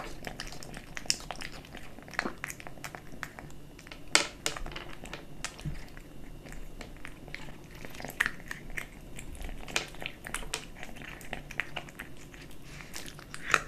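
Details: Kitten eating dry and wet cat food: scattered crisp crunches and clicks of chewing, irregular and close, over a soft low background hum indoors.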